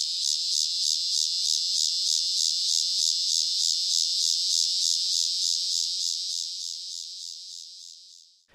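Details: A male Walker's annual cicada (Megatibicen pronotalis), a large common Midwest species in Illinois, gives a loud, high buzzing song whose slow, steady pulsations alternate with periods of buzzing before fading out.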